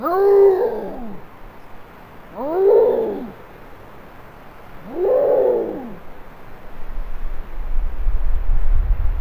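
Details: A Canada lynx walking past a trail camera in western Maine, near roadkill bait, gives three harsh, wavering screams, each rising then falling, a couple of seconds apart.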